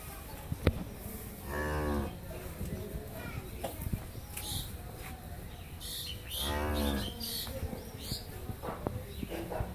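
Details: Friesian Mundi-breed dairy cow on a farm in Pabna, Bangladesh, after her second calving, with her heifer calf. Two long, deep, harmonic moos about five seconds apart, with scattered clicks and low background noise between them.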